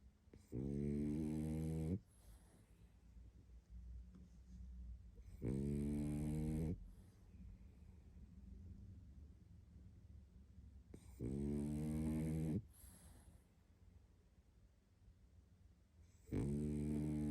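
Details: Sleeping pug Barney, worn out, gives deep buzzing snores about every five seconds, each lasting a second or more, with faint breathing noise in the gaps.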